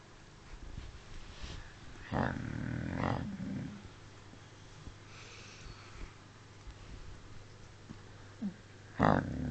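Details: Sleeping dog Smudge giving a single rough, low snore lasting just over a second, then quiet breathing and a few soft knocks, ending with a short sharp burst.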